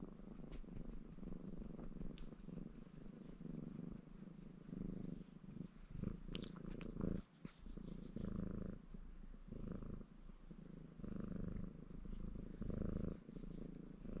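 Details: A ginger male Maine Coon called Baron purrs contentedly during self-grooming: deep buzzing swells recur with each breath over fourteen seconds, alongside light rustles and occasional licking clicks.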